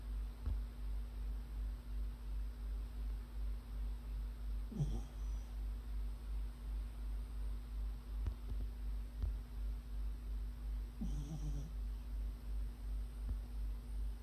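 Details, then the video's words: Puppy snoring in its sleep, low throaty breaths repeating evenly about every 0.4 seconds, broken twice by a brief soft whimper, with a steady background hum. "강아지 자면서 코고는영상"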